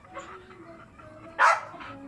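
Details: A lively pet Aspin dog gives a single sharp, loud bark after a stretch of quiet low murmuring, followed by a softer trailing yelp.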